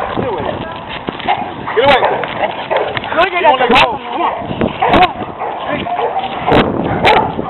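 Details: During a walk, a pet Rottweiler kept on a slack leash faces two stray aggressive dogs. Scattered barks and yelping cries overlap with steady human voices shouting commands.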